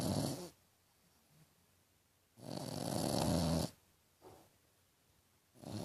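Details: Snoring French Bulldog named Tequila, sounding like a little pig: harsh broadband snorts of about a second each, separated by quiet pauses of one to two seconds, low rumbling underneath, in a small indoor room.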